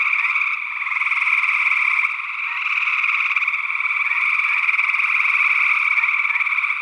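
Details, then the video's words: Chorus of gray tree frogs in Northwest Wisconsin, early June 2022, on a stereo ORTF microphone pair. Many rapid trills blend into an unbroken buzzing wall of sound whose loudness swells and dips slightly. "Gray Tree Frog Calls"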